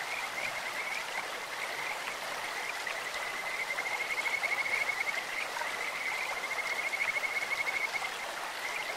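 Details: Croaking Kajika frogs in a stream, their voice sweet like a bird or insect; long steady high trills swell into fast pulsed bursts twice, with constant flowing-water hiss beneath.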